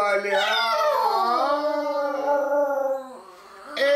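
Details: A dog howls along to a Russian song being played, in a long, sustained tone that rises, wavers and holds steady before breaking off.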